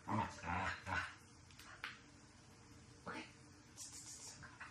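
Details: Shiba Inu in obedience and behaviour-correction training: three quick, loud yelping barks open the passage, followed by scattered fainter grunts and short noises.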